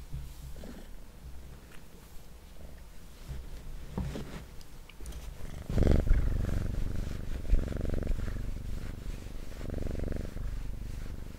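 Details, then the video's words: Domestic cat purring indoors, a soft low rumble pulsing steadily at about four beats per second, swelling louder in the second half, with faint rustling and handling noises close by. "Purring Cat"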